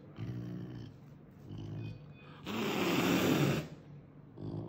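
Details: A caracal at the vet, a frequent visit since an accident, gives deep, pulsing growls, then a sudden, loud, rasping hiss lasting about a second. The hiss is an angry threat aimed at intimidating the vet and clinic staff handling it.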